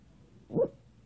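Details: Sasha, a Maltese dog, making funny sounds: one short, low, grunting yip rising and falling in under a quarter second, with a quiet room behind it and a woman telling her to be good.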